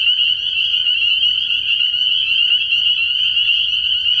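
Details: Spring peepers calling in a dense nighttime chorus at a frog pond early in the year; countless overlapping high, shrill peeps merge into a steady unbroken trill with no pauses.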